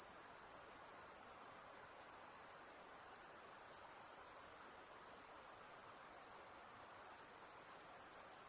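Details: Crickets calling at night: a constant, very high pulsing trill from numerous insects forming an even wall of sound.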